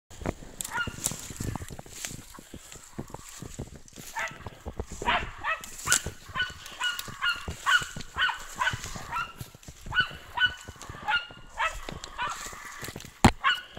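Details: German Hunting Terrier named Brita giving faint, scattered barks, short harmonic yaps spread across the recording, mixed with frequent clicks and rustling handling noise.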